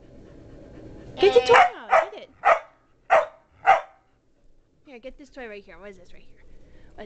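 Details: Molly, a pet Border Collie kept with one other, indoors, excited by honking sounds while frantically whipping a favourite rope toy; five sharp, loud barks over about two and a half seconds, then softer yelping calls, with a person urging her to get the toy.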